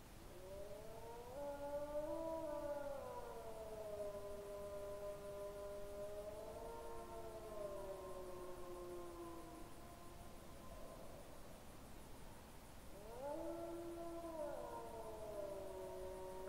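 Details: Wolf singing close to the camera with a second wolf in the distance, 20 September 2022 around 21:09; long sliding howls with rich overtones, one voice falling steadily while another overlaps lower, then a rising howl resumes after a pause.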